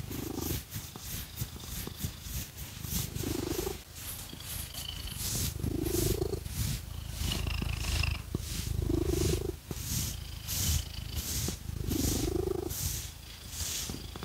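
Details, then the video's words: Strong, rolling purr from Phoenix, a pet cat, as fake nails scratch her fur; a deep continuous rumble rises into hoarse, breathy swells roughly every two to three seconds, accompanied by brisk, repeated scratching strokes. "Scratchy Cat Massage | 🐈 Lots of Purring"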